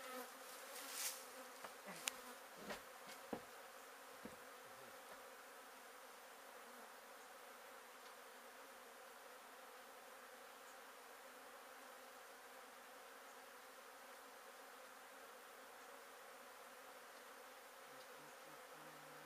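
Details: Honey bees from a hive being removed from a shed in La Villa, Texas, during a relocation where the queen was later found; a dense, steady swarm drone holds throughout, with a few sharp knocks and clicks in the first seconds.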